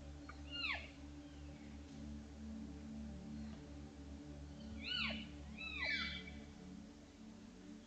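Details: Wild cow elk and calves from a large Utah herd, trail camera recording on July 17, 2022, talking naturally amongst themselves: high, thin, downward-sliding mews, a pair near the start and a cluster of three around five to six seconds, over a steady low hum.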